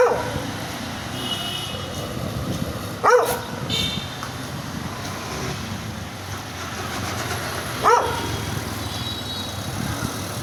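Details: Angry dog giving two single sharp barks about five seconds apart, each short and rising then falling, over a constant hiss and traffic-like rumble.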